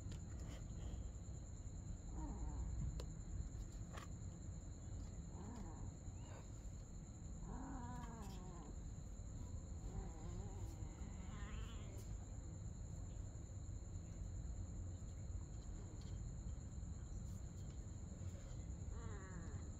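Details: Mother cat and kitten playing together at night; scattered short harmonic meows rise and fall across the stretch, some wavering, over a steady low rumble and a constant thin high tone.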